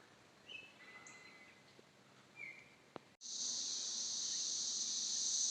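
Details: 17-year cicadas in Northern Kentucky after emerging from the ground: a few whistled bird notes at first, then after a sharp cut a loud, steady, high hissing cicada chorus fills the rest.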